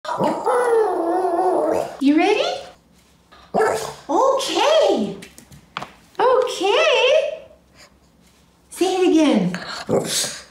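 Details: Little one-eyed Shih Tzu, a pet dog indoors, vocalizing to tell her owner she is ready to go; drawn-out whining yowls that rise and fall, in four bursts of one to two seconds separated by short pauses.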